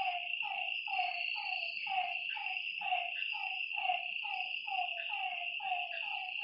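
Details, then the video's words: Frogs calling at night by a lake: a run of short, downward-sliding croaks repeated about once a second, with overlapping callers, over a steady high insect hum. "Lakeside night creatures and frog sounds"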